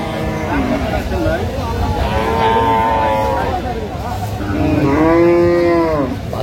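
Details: At Aftabganj haat in Dinajpur on 17 June 2025, an improved-breed dairy cow gives a long, resonant moo near the end, after softer lowing from other cattle, over steady background chatter at the cattle market.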